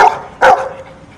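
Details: Dog answering a spoken sum by barking, with one loud, abrupt bark after the end of a preceding bark; a person poses the math questions.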